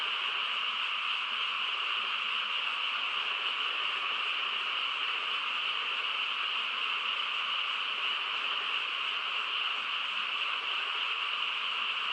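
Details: Many frogs calling together on a still rural night, blended into one continuous humming chorus with a lower and a higher pitched layer, steady in loudness from start to finish, no breaks, no individual croaks picked out, nothing else audible.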